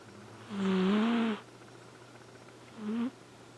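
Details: Elfin, a male Flame Point Siamese cat, snoring while asleep: a loud, nearly second-long breathy snore with a low voiced drone, then a shorter, softer snore about two seconds later, over a faint steady hum.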